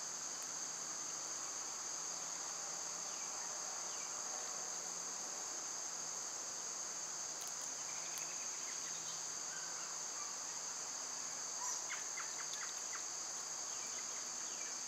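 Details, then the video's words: A long, even, high-pitched buzz of cicadas in summer, unbroken throughout, with scattered bird chirps and clicks in the middle and later part. "Birds & Squirrels w/ Cicada sounds"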